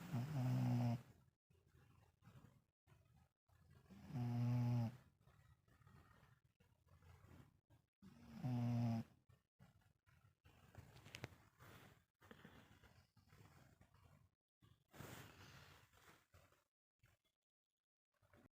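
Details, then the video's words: Two dogs, mother and son, snore while asleep: deep, guttural rumbles roughly every four seconds, three loud ones followed by softer, raspier breaths and quiet gaps between. "Dog Snoring duo: mom and son"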